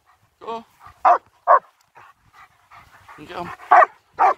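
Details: Two German Shepherds out on a winter walk around Hawick, Scotland. Short, punchy barks come in an irregular run of about six, with a man's spoken commands mixed in between them.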